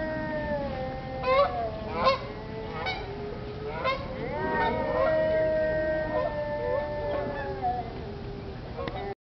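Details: Arctic wolves howling together at the Denver Zoo: several overlapping, drawn-out tonal howls, some wavering and sliding, others holding steady, with short rising yips breaking in every second or so.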